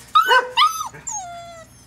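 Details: Poodles at a breeder's home near a seven-week-old litter, described as wanting to come into the play area: two sharp, high whining yelps, then a long, smooth whine that slides slowly downward and fades.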